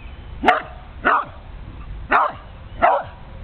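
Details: An old Karelian Bear Dog gives four sharp, loud barks at uneven intervals at a turtle passing through.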